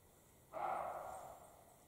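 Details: A single drawn-out, hoarse bark from a European roe deer, male or female, during the spring mating period in the Carpathian mountains, starting abruptly and fading over about a second.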